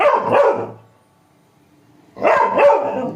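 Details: Labrador Retriever puppy giving two loud, rough barking bursts about two seconds apart, each one lasting well under a second, with a quiet gap in between.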